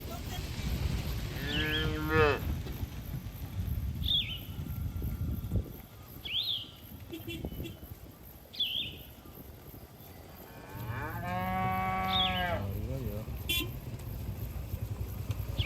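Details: Cattle in a herd grazing in a green field, mooing: two long harmonic-rich moos near two and twelve seconds, the second lower and drawn out, with repeated short high bird chirps between them and low rumbling background noise.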